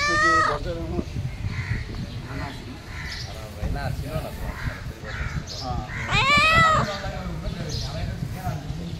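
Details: Pet cat asking for food: a meow at the start and a louder rising meow about six seconds later, with low voices and room noise in between.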